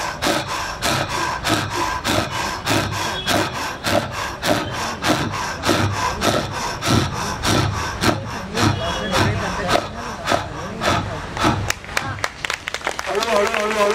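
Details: Leopard call played from a recording during an evening nature talk, the volume adjusted by hand: a run of harsh, rasping sawing strokes about every half second, steady then turning ragged, with faint room noise at the end.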